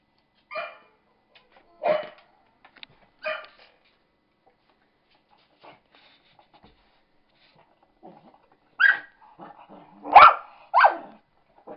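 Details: A cocker spaniel barking while attacking a laptop playing a recording of himself: three short gruff barks spaced over the first few seconds, a quiet pause, then a burst of louder, harsher barks near the end.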